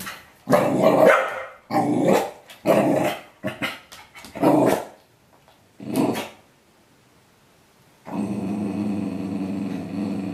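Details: A normally quiet corgi reacts to being shown a bottle of bitter apple spray with a run of rough, excited barks and growling grumbles, then a steady mechanical hum.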